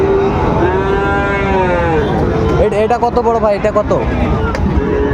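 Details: Sahiwal bull calf at Raniganj cattle market on 25 July 2024: a long, drawn-out, tonal moo lasting about two and a half seconds, slightly arching then falling, followed by men bargaining and general market chatter.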